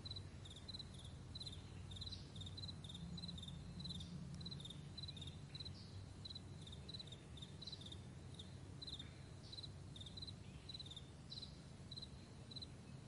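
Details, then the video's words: Morning crickets on a broad meadow: high, clipped chirps from more than one caller overlap in uneven bursts, with a few brief higher squeaks and a soft low background hum. "Morning Crickets"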